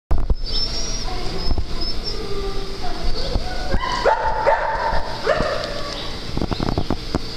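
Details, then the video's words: Dogs at play on a farm, with short harmonic yips and whining barks clustered midway through, against a steady low rumble of background noise and occasional thumps. "Playtime at Dogs On The Farm"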